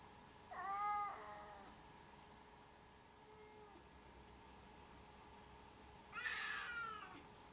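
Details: Two separate cat meows roughly five seconds apart, each short and harmonic, the first slightly falling and the second brighter and rougher, with a faint electrical hum throughout.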